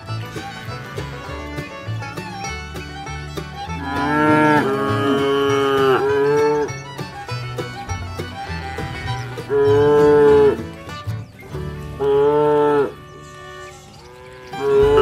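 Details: A herd of tame cattle on a wide grassy pasture ringed by trees give several loud, drawn-out moos that swell and fade while grazing and interacting, over quiet background music.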